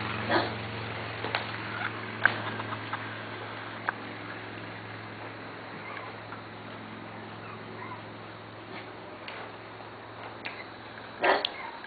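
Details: Playing Corgi puppies, Missie, Cat and Sugarbaby litters, in their play yard on 10/11/12: brief high yaps and squeaks at irregular intervals, a sharper yelp near the end, with low steady hum beneath.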